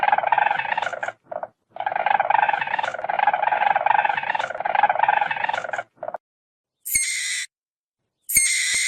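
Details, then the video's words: Weasel: squeals, hisses and rustling movement. A long, rapidly pulsing buzzy chatter breaks off with short gaps, then two separate shrill, high-pitched bursts follow near the end after silence. "WEASEL SOUND"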